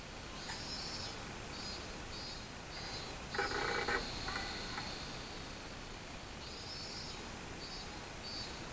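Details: Robust cicada song from 24 July 2016: high-pitched rhythmic buzzing pulses that fade, then return near the end. A louder broadband rasp sits in the middle, over a constant low background hum.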